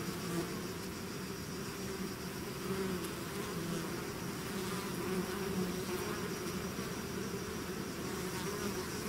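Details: A swarm of bees leaving its hive fills the air with a steady, even drone; several humming tones shift gently in pitch as bees fly near, the whole mass of sound unbroken throughout.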